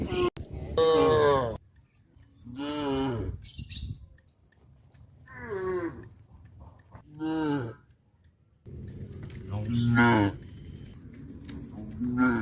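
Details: Cows on a traditional village farm, eating cardboard at the roadside, give a series of drawn-out, nasal moos about a second each over low background rumble.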